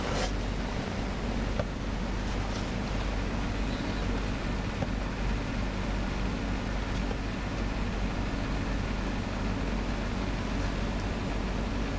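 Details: Steady, loud low rumble like an engine or wind fills the whole stretch, with a few faint clicks and no animal voice.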